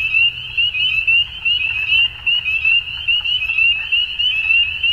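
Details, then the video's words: Many frogs at dusk in an Ontario, Canada spring give piercing, rising peeps that blur into a steady shrill wall of sound, swelling and dipping slightly, over a low murmur. "Frog Sounds At Dusk"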